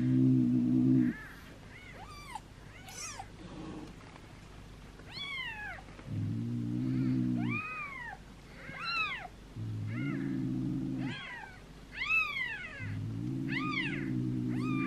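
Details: Newborn domestic kittens, two days old, one of seven in a litter being fed by a person: a steady series of thin, arched squeaky meows, roughly one every second or so, over repeated low humming bands.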